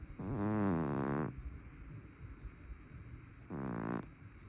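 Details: Sleeping brown tabby cat, a big fat cat known for loud snoring: one long, rattling, harmonic snore just over a second long, then quiet breathing and a shorter second snore.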